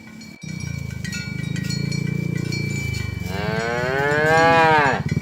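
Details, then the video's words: Tame cattle herded along village roads toward the pen in the morning: a long, low, throaty moo rises into a higher, drawn-out bellow, with a steady ringing cowbell tone behind it. "Suara Sapi Moo"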